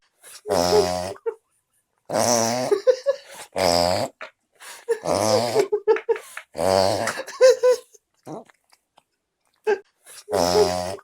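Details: French Bulldog puppy snoring indoors: loud, rasping, harmonic-rich snores in regular bursts roughly every one and a half seconds, each with a wheezy, nasal rumble and short whistling catches between breaths.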